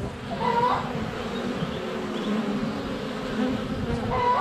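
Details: Honey bees swarming in flight at the hive entrance in February sunshine, a wide-angle GoPro up close: unbroken droning buzz, with a faint chicken-like note at the start and end.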